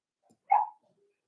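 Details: Four-week-old Cavalier King Charles Spaniel puppies in an indoor puppy pen, being socialized with older dogs: one short, whiny yelp with a sharp onset that fades within a quarter second, followed by a faint tail and a quiet room.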